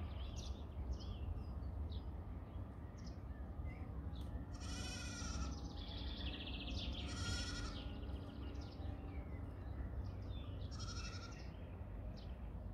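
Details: Goats grazing on a pond bank, kept naturally and feeding on grass, nettles, herbs and weeds; faint, drawn-out, low bleats around the middle, over a steady wind rumble with scattered bird chirps above.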